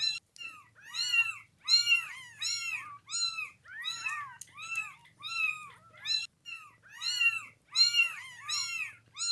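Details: Noisy kittens calling without pause, bright overlapping meows each curving up then down, bursts repeating roughly every second, soft low hum in the room.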